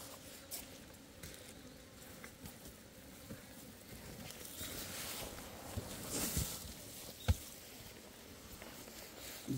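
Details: Asian honey bees at a beekeeper's hive on 26 September 2023, digging out wax debris from the comb to build a new nest; a steady low buzzing hum runs throughout with handling clicks and rustling from the hive being worked.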